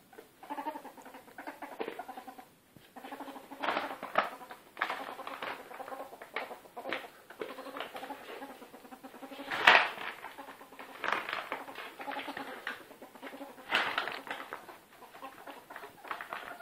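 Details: Bella, a female house ferret once used for hunting, dooking as she plays: uneven bursts of soft chuckling clucks mixed with scuffling and pattering, and a loud bump midway; phone recording.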